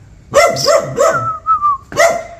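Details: ['Dog barking on seeing a stranger: three rapid, bright barks, a short whistled tone, then one more bark.']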